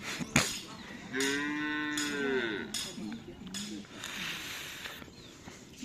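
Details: Madura cattle during karapan sapi race training at Asemanis field, Pamekasan, preparing for the Gagak Rimang team's anniversary: one long, slightly falling moo lasting about a second and a half, then shorter low grunts, with human voices around.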